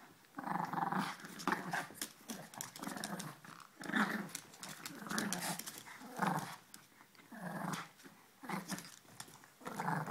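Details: Ella and Duke, two puppies at play, give throaty growling bursts about every one to two seconds, each a short rumbling snarl, with scuffling noises in between.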